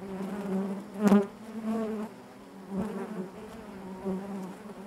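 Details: A continuous low hum from honey bees within their hive, punctuated by a sharp knock-like burst about one second in and softer swells later.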